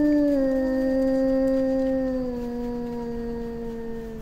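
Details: Eurasian wolf howling, part of a small pack in Finnish taiga: one clear sustained tone opens slightly higher, then glides gently lower and holds, slowly fading.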